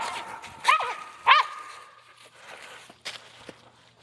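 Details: Dogs hunting squirrels outdoors: two sharp barks with a ringing harmonic tone, then scattered fainter barks and rustling footsteps.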